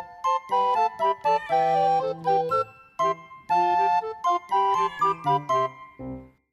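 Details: Only a tinkling, bell-like music jingle plays, with no animal voice.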